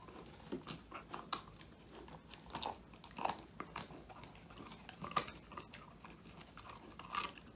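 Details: Old English Sheepdog Woody, a male born January 2019, eating a whole quail treat, his first treat, filmed indoors on a phone: irregular crunchy bites and chewing clicks, about thirty a minute, in a quiet small room.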